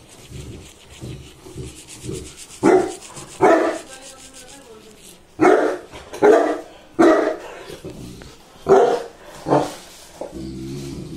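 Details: Saint Bernard dog after a bath, giving loud deep barks in irregular bursts, about six strong barks over several seconds, with quieter murmuring and low background sounds between them.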